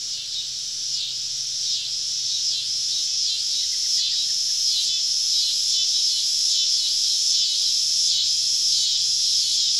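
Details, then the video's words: Cicadas calling all around a woodland campsite on a summer evening in the American South, a dense high buzzing drone with regular pulsing swells about every second and a faint low hum beneath. "Southern Evening Summer Cicada Symphony"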